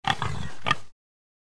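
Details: Pig giving a short burst of nasal grunting oinks, about three quick squeaky pulses within under a second, then silence.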